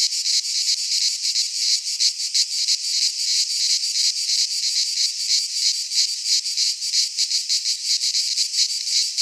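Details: Chorus of cicadas in a Greek pine forest in midsummer, a continuous shrill buzz made of rapid, fairly even pulses, about three per second, with no birds, wind or voices.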